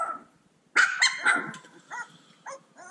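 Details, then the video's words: Playful Cane Corso puppies burst into a cluster of sharp high yips after a brief quiet, followed by a few shorter spaced squeaky yelps. "Bunch of Yipping Puppies!"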